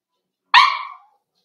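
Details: Four-week-old Cavalier King Charles Spaniel puppy in a home puppy pen, kept with littermates and meeting other household dogs: one brief, half-second whimpering yelp, bright and harmonic, sliding slightly downward in pitch and fading, with silence before and after.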